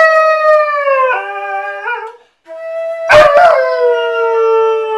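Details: Pet dog howling along with a flute in a duet, celebrating its owner's return after six months' absence; long sliding tones held against steady flute notes, a brief silence, then a harsh broadband burst before the wavering howl resumes.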